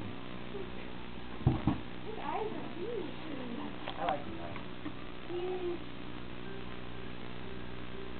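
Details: Pet cat Shakey during a game of fetch gives several short, rising-then-falling meows in the middle, mixed with a woman's speech to the cat, a couple of sharp knocks and a steady background hum.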